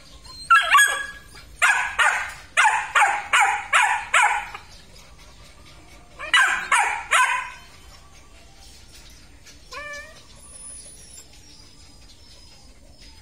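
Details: Belgian Malinois, big males with black and red-black coats, at a breeding kennel in Vietnam; a rapid run of about six sharp, harsh barks, a pause, then three more barks, followed by a short high whine.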